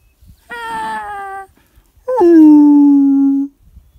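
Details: Two howls close by, from wolves called in at a high mountain lake: a short level note, a pause, then a longer howl that slides sharply down and holds a low, steady tone before cutting off.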